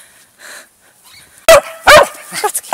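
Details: Pet dog barking during a training session with commands spoken in Czech: after a quiet start, loud, sharp, harmonic barks come in a rapid series of three, each short and ringing.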